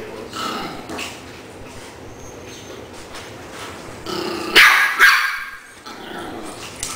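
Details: Maltese puppy Lilly playing with Shih Tzu puppy Tony and Siberian Husky Harlen. Low rumbling growls give way to two loud, sharp yapping barks in the middle, then quieter scuffling noise.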